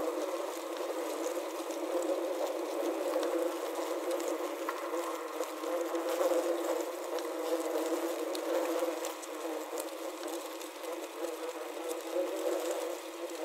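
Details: Several wasps caught in a wasp trap, taken with a Zoom H6 and Korg CM-300, produce an uneven droning hum that rises and dips in loudness, broken by small rustling taps as they move about.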